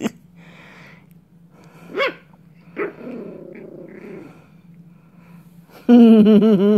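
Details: Coco the dog gives a short sharp bark, then a low rough growl lasting about a second, and ends with a loud, sustained, wavering whine-like howl; people laugh nearby.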